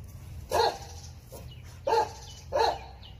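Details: Jindo dog facing a viper: three short sharp barks at roughly one-second intervals, with a fainter yip between the first two, over a low steady background hum.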